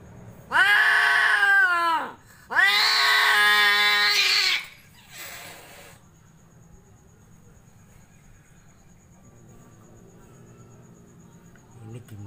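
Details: Angora and Persian cats gathered together indoors; two long loud drawn-out meows, each wavering then falling, about two seconds apart, followed by quiet room noise and a faint click at the end.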